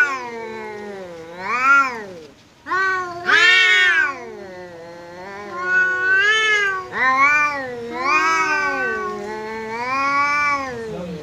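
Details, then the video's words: Domestic cat facing off with a visiting cat in a fight; a run of wavering yowls, some arching up and down, others climbing to shrill wails, separated by brief pauses and low moans. "Kucing Berantem!! Kedatangan Tamu, KucingKu Langsung Pasang Badan dan Adu Mulut"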